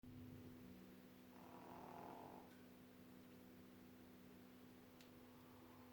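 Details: A sleeping dog gives one soft, breathy snore lasting about a second over a steady electrical hum indoors.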